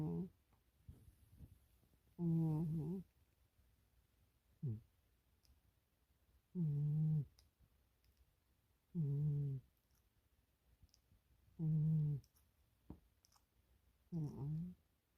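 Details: Milo the cat snoring while asleep, twitching and dreaming indoors; low, buzzy, harmonic snores come in bursts of under a second, roughly every two and a half seconds, six clear ones in all, with faint clicks between them in a quiet room.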